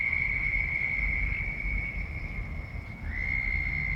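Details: Very loud frogs: one steady, high, ringing trill holds an even pitch for about three seconds, dips and breaks briefly, then resumes at the same pitch. A low rumble of background noise runs beneath.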